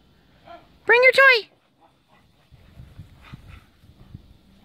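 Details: A Cardigan Welsh Corgi frapping in the snow gives two loud, harmonic barks in quick succession near the start, then falls quiet while a woman talks softly in the background.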